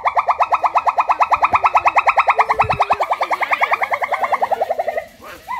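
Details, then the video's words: Male pileated gibbon in the jungle giving a rapid bubbling trill of short, clear notes, about six a second, holding steady before slowing and fading at the end. Faint lower tones sound underneath. "male pileated gibbon king sound in the jungle"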